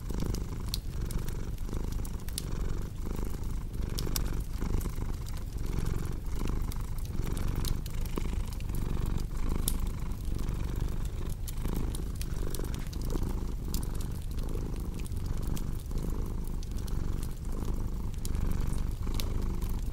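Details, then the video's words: Continuous deep purring of a cat set against a crackling fireplace: soft rhythmic rumble cycling with inhale and exhale every second or so, accompanied by irregular sharp crackles and pops from the fire. "Purring Cat"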